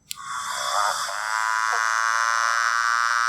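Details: A motorbike frog in Western Australia gives a long, buzzy, revving drone that sounds like a motorbike changing gears.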